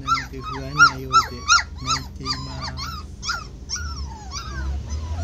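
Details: Twenty-six-day-old standard poodle puppies, anxious in the garden in June 2016: rapid series of thin, squeaky, rising-and-falling whimpers, several cries per second, some overlapping, over a low background hum.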